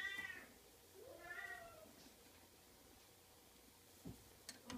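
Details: Oriental kitten uttering two short, quieter meows at the start, the second slightly rising then falling, followed by a pause and a few soft knocks.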